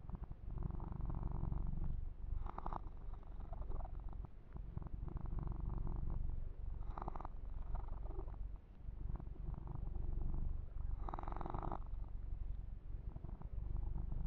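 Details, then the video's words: Yumak, a pet kitten, purring steadily during a massage, with ear-to-ear purring and fur grooming; a continuous low rumbling throb fills the clip, broken by brushing and rubbing bursts near three, seven and eleven seconds. "Kitten Massage - Perfect Sleep Helper Ear to Ear Purring"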